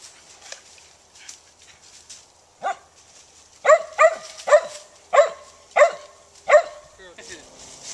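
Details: Daisy, a Gray's Mountain Feist dog hunting squirrels, gives a run of sharp, ringing barks after a soft opening yelp, six loud ones spaced roughly every half second to second, with faint rustling behind.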